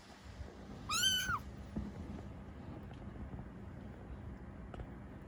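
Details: A single clear, rising-then-falling meow from Ame, a rescued domestic kitten about three to seven weeks old, followed by quiet background rumble.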